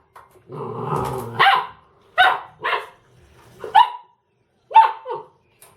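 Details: Ramses, a Dobermann, barks at a washing machine: a brief low rumble, then five separate sharp, forceful barks spaced about a second apart in a quiet room.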